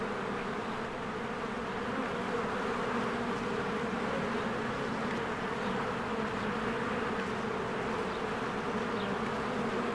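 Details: Crowds of honeybees streaming in and out of their cozy hive during spring bloom, captured on a Canon EOS R. An unbroken, humming buzz of countless wings, its texture fluttering slightly as bees pass close.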